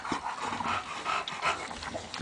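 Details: Bulldog puppy indoors, giving a run of soft, high whimpering and squeaky yips in quick succession, with breathy panting between the calls and low human voices nearby.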